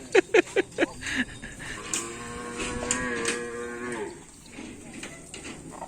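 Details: A bull-racing (karapan sapi) cow of the Paku Alam team moos in a steady, rich, low tone lasting about two seconds. Several sharp knocks come first, and people talk afterwards.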